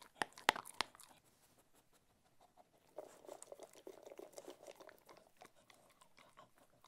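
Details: Cocker Spaniel named Ted enjoying his food, opening with a few loud sharp crunches, then a quiet pause before a run of rapid, softer chewing clicks that fades toward the end.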